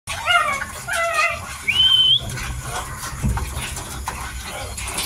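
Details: Miniature Dachshund puppy, 55 days old, eating: a few short, high, wavering harmonic whines in quick succession, then a thin rising squeal, followed by soft clicking chewing and rustling noises.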